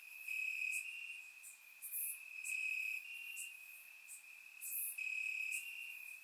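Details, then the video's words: Crickets calling from grass on a warm Bulgarian summer night; an unbroken shrill trill forms the backdrop, swelling and fading, with short very high chirps flaring up about twice in six seconds. "Cricket Sounds - Crickets Chirping at Night"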